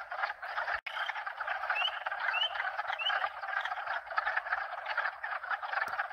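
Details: Frogs of at least two, possibly four, species call together in a loud unbroken croaking chorus of fast pulsed trills. A few short rising tinkling notes, probably wind chimes, sound in the middle, and there is a sharp click near the start.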